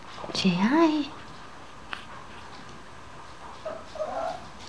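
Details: A two-week-old blue French Bulldog puppy from a litter of five gives a rising, squeaky whine, then softer whimpers.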